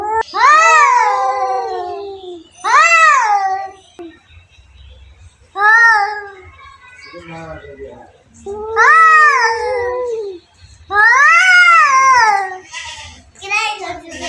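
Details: Two domestic cats fighting: a series of loud, drawn-out wailing yowls, each rising then falling, separated by short pauses, with a quieter harsh hiss between calls.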